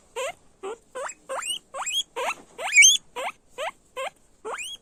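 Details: Guinea pigs squeal in a steady sequence of ten short rising whistles, evenly spaced about every half second, the loudest one near the middle, clean background.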